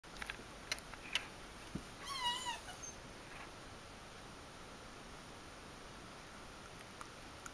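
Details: Troubled-looking domestic cat indoors giving a single short meow, a harmonic, slightly falling cry lasting under a second, framed by scattered clicks and light tapping sounds in a quiet room.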